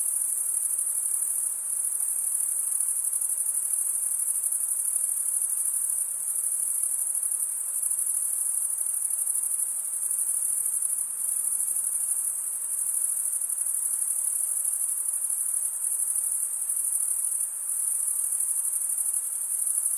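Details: Steady shrill chorus of crickets, males chirping by scraping one wing across the serrated vein of the other, forming a continuous very high ringing buzz with slight pulsing and nothing else audible.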